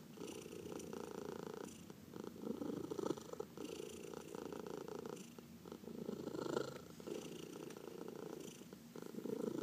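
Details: Cat purring contentedly under massage, one of four pet cats; deep vibrating purr swelling and fading with breaths, quiet indoor setting.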